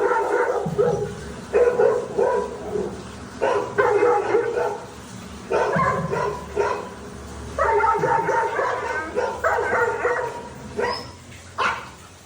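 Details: Dhoni, a pet Labrador Retriever, barks in a run of short, harmonic woofs grouped in bursts of one to two seconds, with brief pauses between volleys and a low background hum.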